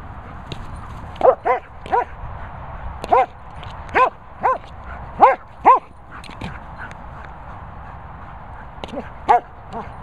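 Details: German Shepherd named Lucy Cooper barking in short, tonal, slightly whining barks, about ten over ten seconds, grouped in pairs and triplets with pauses, against a quiet background hiss.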